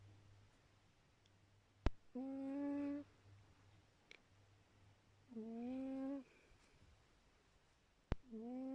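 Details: A pet cat snoring gives steady, hum-like tonal notes lasting under a second each, about every three seconds, with faint clicks and quiet pauses in between.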